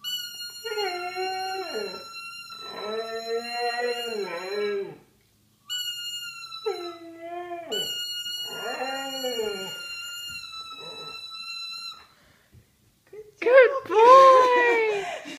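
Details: A 7-year-old Siberian Husky, unusually, howls along with a toy trumpet in wavering, talkative bursts that rise and fall, ending in a louder yodel.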